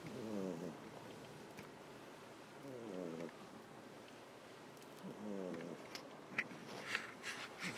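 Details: A sleeping house cat named Ameta, resting on a lap beneath another cat, Kinako, on a warm day indoors, gives three raspy rhythmic snoring breaths, each lasting under a second, with light rustling near the end.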